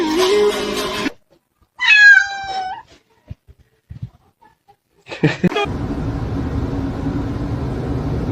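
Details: Pet cat in a funny cats montage: a loud, wavering meow that bends up then down, set between sharp clattering bursts, and then a steady hiss of background noise.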